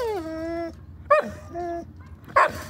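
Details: A dog whining because it wants to play with a cat across the street: long, steady, high-pitched whines that slide down at the start, broken by a sharp rising yelp and ending in a short harsh yip.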